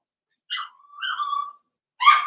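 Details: Blenheim Cavalier King Charles Spaniel puppies from a litter of six in an indoor puppy pen during potty training. A short high whine is followed by a longer wavering whimper that slides downward, then a sharper harmonic cry at the end.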